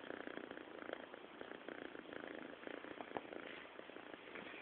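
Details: A sleeping cat snores softly, giving a continuous rhythmic rasping purr-like pulse that repeats several times a second and holds steady throughout.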